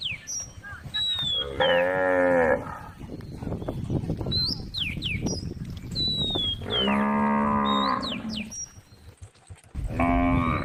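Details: At a forest edge beside a road where cows wander, a female cow gives three separate moos spaced several seconds apart, with birds whistling and chirping in the gaps.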